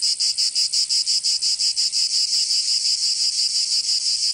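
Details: In summer heat of Provence, France, cicadas churn out a piercing, buzzy song of regular quick pulses that blur toward a steadier drone near the end.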